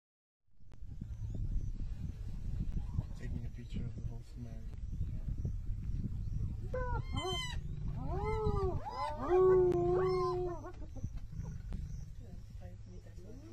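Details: Spotted hyena clan in Masai Mara, Ol Kinyei conservancy, giving howling laughs to intimidate and scare off lionesses: rising and falling whooping giggles with harmonic tones from about 7 to 11 seconds over steady low rumble and vehicle hum.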